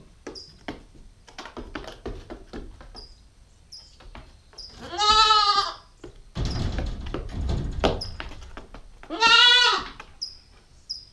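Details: Nine-week-old female Nubian goat kid caught on a GoPro stakeout, bleating twice with long quavering cries, a burst of broad rumbling noise between them, scattered clicks and faint high chirps behind.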